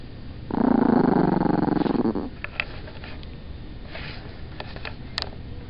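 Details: Chihuahua, a small female pet, picked up while trying to sleep, gives a low rumbling pulsed growl lasting under two seconds, followed by quiet rustling and faint clicks indoors.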